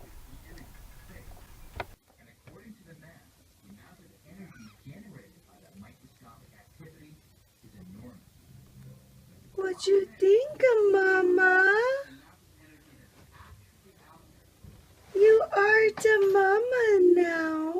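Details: Julie, a pet mother cat, during the birth of her litter of four kittens indoors while she chews off an umbilical cord; low murmured voices, then two loud, drawn-out, wavering high meows near the tenth and sixteenth seconds.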